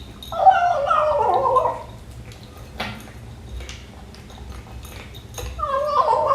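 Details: A 12-week-old male British Shorthair kitten gives wavering, warbled mews while eating his breakfast, twice, with a quiet pause between; funny eating noises.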